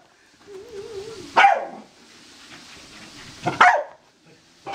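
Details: Excited Corgi playing with a laser indoors gives a brief wavering whine, then two loud, sharp barks about two seconds apart in a quiet room.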